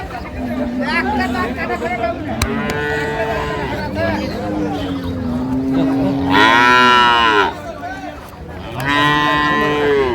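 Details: Dairy cows and calves of improved breed at Ambari haat cattle market, dated 2/3/25: a run of long, drawn-out moos, several low and steady, then two louder, brighter bellows near the end, with market chatter and voices behind.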